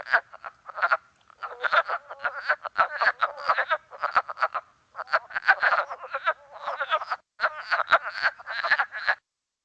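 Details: Wood frogs in Québec, a common species, calling in a duck-like chorus: quick hoarse clucks and chuckles tumbling together in dense runs, separated by short gaps, heard during an amphibian monitoring training.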